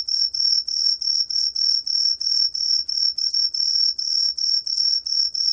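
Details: High, clear chirps from a green pine cricket, repeated about three times a second in an even, bell-like rhythm, with no other sounds.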